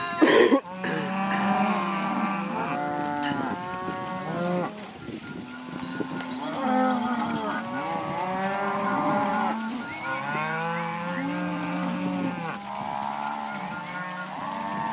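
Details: Continuous chorus from a herd of Angus and Red Angus cows and heifers. Many overlapping moos, some deep and level, others higher and arching, follow each other without pause after a short sharp knock at the start.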